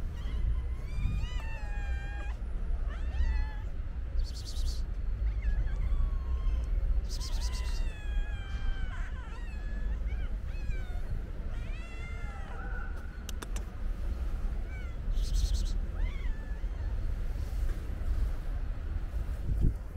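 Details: Many hungry stray cats calling while being fed, with repeated overlapping meows throughout, some drawn-out and wavering, others short and rising, over constant low rumble and brief clattering noises.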